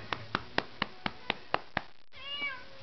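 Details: Cat being spanked playfully indoors: seven sharp pats land about every quarter second, then after a short gap the cat answers with one brief, smooth meow.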